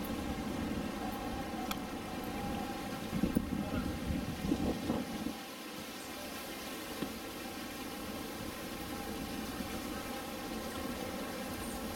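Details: Steady broadband hum like machinery or ventilation, with a few faint knocks and rustles and no clear animal voice.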